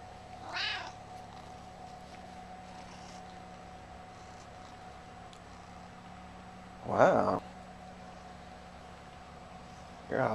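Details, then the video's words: Gizmo, a talkative male house cat about 11 years old, meows three times indoors: a short rising-falling meow near the start, a louder drawn-out one midway, and another at the very end, with quiet room hum between. "Meet Gizmo! he's so talkative!"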